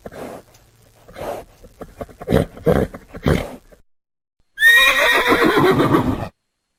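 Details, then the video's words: Horse, a relaxing natural recording: a run of low rhythmic thuds and snorts, then after a short pause a loud, high whinny that starts shrill and falls away in shaky, quavering steps over about two seconds. "#horses sounds"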